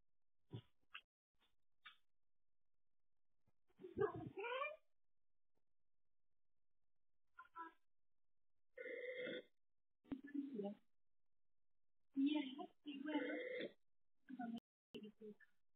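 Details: Domestic cat from a home camera on cats Stanley and Olive, 12th–13th July 2023; a run of short harmonic meows and throaty chirps comes in irregular bursts with quiet gaps, some calls rough and clipped.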